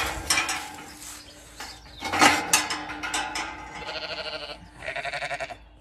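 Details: Zwartbles sheep on a regenerative farm in County Kilkenny, Ireland, with the pregnant ewe LittleBit nearby; tremulous, pulsing bleats come in two bursts toward the end, after clattering and rustling noises.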